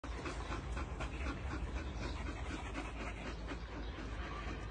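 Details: Belgian Malinois family panting: fast, even, breathy huffs repeated several times a second, over a steady low rumble.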